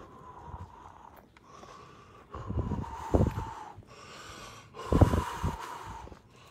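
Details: French bulldog Dylan, a one-year-old male, walking outdoors in fog for the first time in Jaywick in 2018. Two loud, rough snorting and wheezing breath bursts come a couple of seconds apart over a steady faint hum and quiet background.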